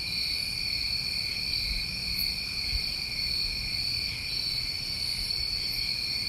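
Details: Crickets on a New England summer night, a dense chorus of steady, high continuous trilling in several overlapping bands, unbroken throughout, with faint low rumble beneath.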